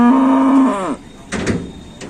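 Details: Cow left lying down and unable to stand while its herdmates went to market: a loud, level moo of almost a second that bends downward at the end, followed by several sharp knocks and bangs.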